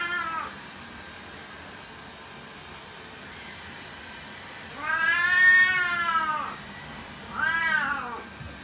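An Oriental Shorthair cat gives long, loud, drawn-out meows with rich harmonics, rising then falling.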